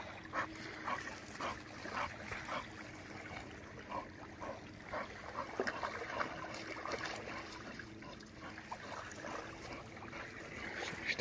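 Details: Dog panting while swimming, quick regular breaths near two per second with faint whimpery edges, set against splashing and running water.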